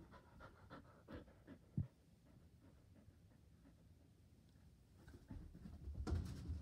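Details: Border Collie indoors, eager to play ball, panting in fast, soft, breathy rhythm of about four breaths a second, with a few louder thumps and rustles near the end.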